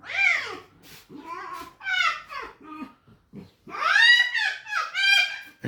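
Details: Captive red fox indoors making squeaky, whining calls in arching harmonic bursts, several in quick runs with short pauses, the last two longer and louder, near a fox room kept by people.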